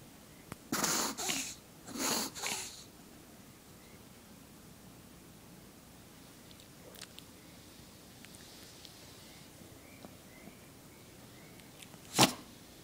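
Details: Chihuahua sneezing indoors in a small room: two sharp, breathy bursts close together near the start, a third a second later, then quiet with faint sniffs and a final loud snort-like sneeze near the end.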